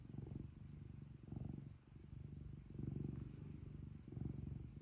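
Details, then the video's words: Pet cat kept at home purring: a low, steady rumble that swells and fades in breath-paced waves roughly every second, with a brief dip near the middle and a faint constant hiss behind. "고양이 골골송 | cat purring"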